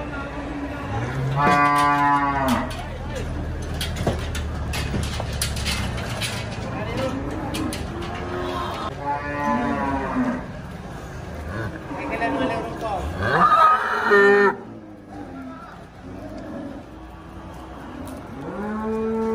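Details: Cattle at the Sibreh animal market in Aceh Besar, Indonesia, mooing repeatedly in long, harmonic bellows, with voices, clattering and general market bustle all around.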